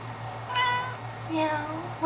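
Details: Cory, a pet cat singing to her sock, gives two short tonal meows about a second apart, the second lower and drawn out, while a woman speaks softly nearby.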